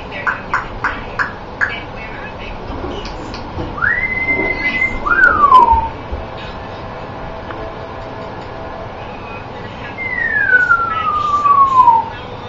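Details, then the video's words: Dakota the dog makes a squeaky-toy-like noise: a high tone that rises and then holds, a short falling squeak, and later a long squeal that slides slowly downward. Sharp clicks come early, over a steady background hiss. "Dakota makes a squeeky toy noise!"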